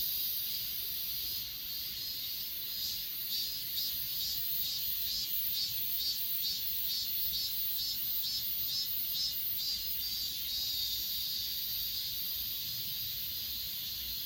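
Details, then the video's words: Grass insects calling on Achasan, Korea, filmed with an S20 Ultra phone: a shrill, continuous trilling backdrop with a run of evenly spaced chirp pulses through the middle, about two each second. "아차산 풀벌레소리"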